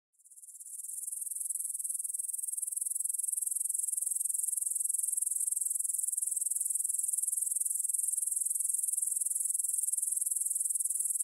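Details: Grasshoppers stridulating in a meadow field near the Svensky monastery, Bryansk, Russia, at 9pm on September 6, 2020, recorded in stereo on a Tascam DR-44WL. A high, dense, shimmering chorus fades in during the first second, then holds steady and unbroken.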